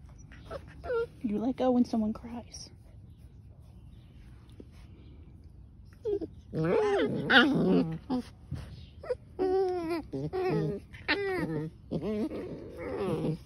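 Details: German Shepherds Rose and Emerald battling: rapid bursts of whining, yelping and rough growl-like sounds, a quiet stretch in the middle, then dense overlapping cries, with voices mixed in.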